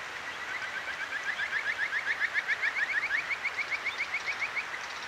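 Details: Kajika frog at a clear river in Akigawa Valley, Tokyo, at night, recorded with a ZOOM H6: a steady trill of bright upward-sweeping whistled notes, roughly four per second, set against babbling stream water.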